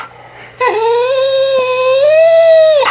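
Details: Indoors, Mya the Australian Shepherd cries in a sustained, tonal whine that rises gently and holds high, a dramatic meltdown as her owner teases about taking her tongue, a short quiet pause before it starts.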